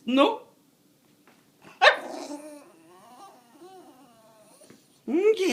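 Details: A house dog complaining about its owner leaving home, giving a loud yelp, then a sharp bark trailing into a long low grumbling moan, and ending with another rising whine.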